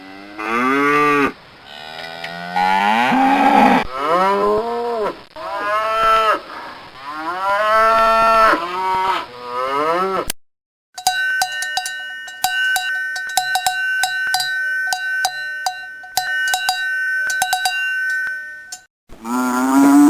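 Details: Cows lowing in a rapid series of rising, harmonic-rich moos for about ten seconds, some short and some drawn out, followed by steady ringing bell-like tones with sharp clicks, then a final moo.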